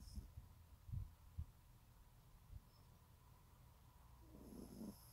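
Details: A sleeping teacup Yorkshire terrier snores in low, rumbling pulses, several in the first second and a half, then fades to softer breathing before a brief, rougher snuffle near the end.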